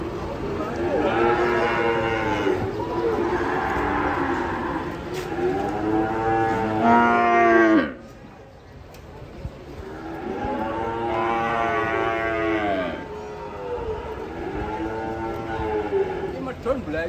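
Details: Frightened, agitated sacrifice cattle being unloaded from a truck on a Saturday bellow in a series of long, strained moos, each two to three seconds, with a brief quiet gap midway. Men's voices sound in the background.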